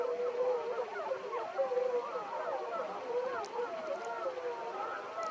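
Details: Gray wolves of the Wapiti Pack, with 13 seen, howl one morning in Yellowstone National Park. Several overlapping voices give sustained, wavering tonal howls that slide up and down and blend into a continuous chorus.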